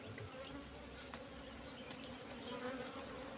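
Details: Steady hum of a wild Apis cerana colony, Asian honey bees whose bush nest holds honey and pollen but no brood, the low buzzing drone constant throughout with faint taps from handling the comb.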